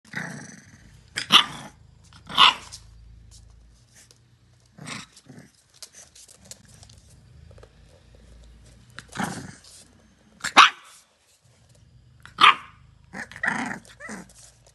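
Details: A female English Bulldog puppy gives short, sharp yaps and low growls at scattered intervals while playfully kissing her own reflection.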